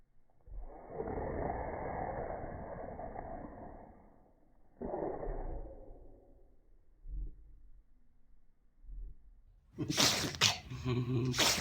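An Italian Greyhound gives a few sharp, hissing sneezes after a stretch of muffled voices and rustling.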